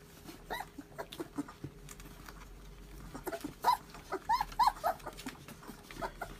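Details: Two-month-old puppies from a newborn litter give short, high, quavering whimpers and squeaky yelps in irregular bursts, thickest and loudest near the end, over a faint steady room hum.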